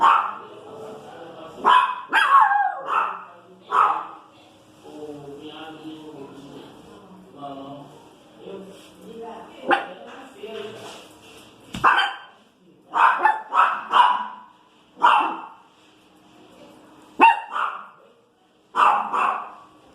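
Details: Small female Pinscher barking and complaining about street noise; sharp barks come in irregular clusters, interleaved with human speech and softer murmuring in quieter stretches.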